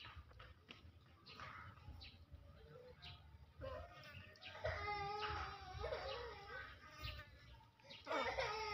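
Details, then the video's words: Monkeys where bigger ones greedily snatch from and hit smaller ones: a series of wavering, whimpering cries that grow louder and rise to tense squeals near the end, over a steady background hum. "Big monkeys very greedily snatch, hit small monkeys"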